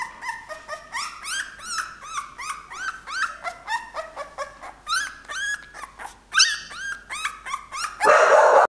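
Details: A 17-day-old white female English Bull Terrier puppy gives a rapid series of high, squeaky whines and yelps.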